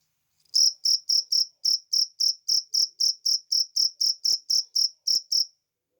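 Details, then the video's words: Natural cricket sound: a burst of about eighteen crisp, high chirps in quick regular succession, then silence. "suara jangkrik alam"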